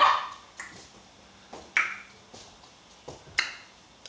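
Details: Indoor pet Chihuahua lets out short, sharp high yips, the first one loudest, then spaced roughly every second or so, each ringing briefly before fading into a quiet room.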